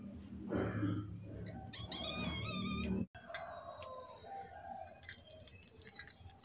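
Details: Lulu, a pet cat whining softly and meowing while begging for food, gives a wavering, high-pitched mew of about a second, surrounded by a woman's coaxing speech and handling noises indoors.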